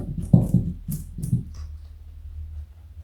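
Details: Joey, a pet rabbit weighing 4.6 kg and over 60 cm long, eats a carrot indoors. Several crisp, crunchy bites come in a quick cluster over the first second and a half, then quiet room hum.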